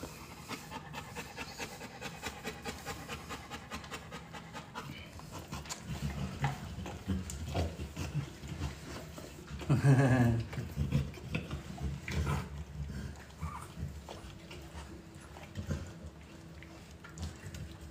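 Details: Female American Bully XL in natural labour, whelping at 62 days, breathing in steady rapid heavy pants, a low breathy rhythm throughout, with a woman speaking Spanish softly over it.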